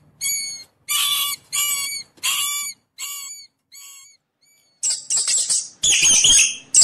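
A mouse gives a run of shrill, harmonic squeaks that fade in strength, then a burst of scratchy chatter.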